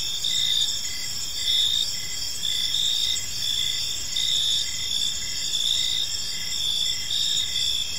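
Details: Evening chorus of crickets in a tranquil park: continuous bright, high trilling with pulsed chirps repeating regularly around once a second, gently rising and falling in level, soft distant rumble below.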